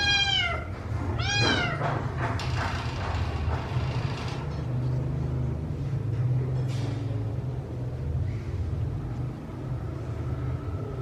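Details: Rescued kittens meowing while being fed; two loud, drawn-out, falling meows in the first two seconds, followed by steady low rumbling and faint eating noises with no further clear calls.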